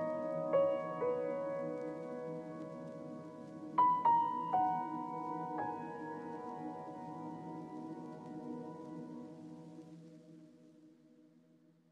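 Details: Gentle ambient keyboard music plays, with struck notes ringing over a sustained pad before slowly fading away. No mooing or other animal sound can be picked out.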